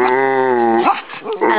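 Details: Pet dog vocalising on request, imitating "Momma": a steady, sustained moaning tone held for almost a second, then breaking into wavering, warbling sounds before a brief rise.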